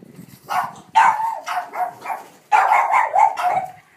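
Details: Boston Terrier, excited at the sight of a ball while playing and rolling it around; a few drawn-out, whining barks in two bursts.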